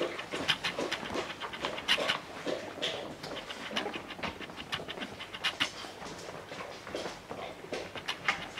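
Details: Young English Springer Spaniel puppies, with their mother nearby, give rapid, breathy pants and snuffles in uneven bursts. Thin, high squeaks break through now and then among the hissy breathing.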